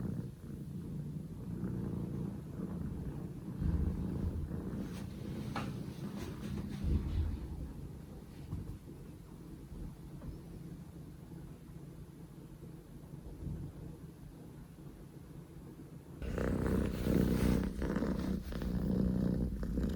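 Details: Scottish Fold kitten Poko J, male, born 15 October 2019, with a low purring rumble that fades into a quieter stretch mid-clip, then returns louder near the end with rustling handling noise.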